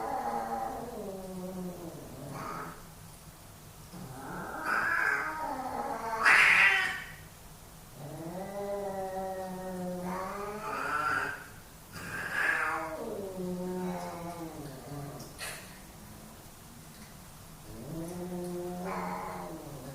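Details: Caterwauling from two male pet cats in a dominance fight: a run of drawn-out yowls that rise into harsh shrieks and sag into low moans, with brief sharp spits between, continuing for twenty seconds.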